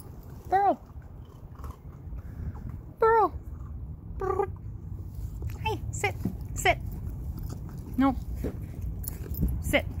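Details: Eleven-week-old puppies in snow give short, high yelps that fall in pitch. Two loud cries come early, then several quieter ones follow, while a person repeatedly tells them to sit.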